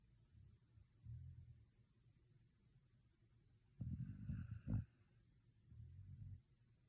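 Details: Shiba Inu sleeping after a day at the dog run. Soft, low rumbling snores with a breathy hiss come in three bursts about two to three seconds apart, the middle one loudest and longest.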